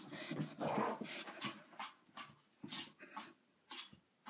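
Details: Andy, a pet dog, making weird sounds indoors in a small room: a run of throaty growling grumbles and whimpers, loudest in the first second, then short irregular bursts.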